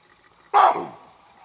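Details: A baboon gives a single loud, harsh, haunting bark that quickly fades, in the background near two mating leopards at Sabi Sands Game Reserve, South Africa, in July 2008.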